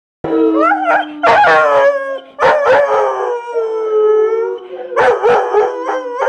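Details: ['Pet dog joining in the chorus while watching other dogs sing on screen, howling along. Long sustained rich harmonic howls, some steady and some wavering, broken by sharp yelping bursts; several voices overlap.']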